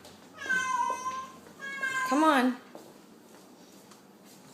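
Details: Feral cat hanging from household blinds calls three times: two long level meows, then a wavering, bending yowl that drops in pitch, in a small room with faint clatter.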